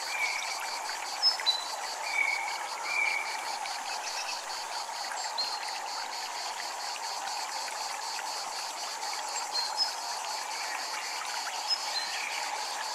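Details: Japanese temple ambience with cicadas calling, a rapid, even high-pitched pulsing running through the whole stretch beneath flowing water, while soft ringing chimes sound early on and again near the end.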